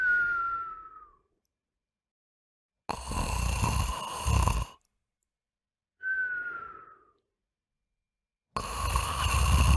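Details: Dog snoring through the night like an earthquake: a pattern of soft descending whistles alternating with gravelly rumbling snores, two of each, separated by brief silences.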